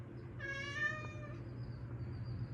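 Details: Hungry neighbours' cat meowing: one drawn-out, harmonic-rich meow lasting about a second, steady then slightly falling, over a low background hum.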